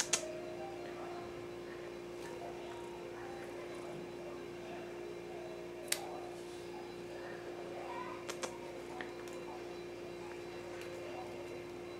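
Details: A quiet indoor room with a steady electrical hum and a few sharp ticks and clicks, with no animal call audible.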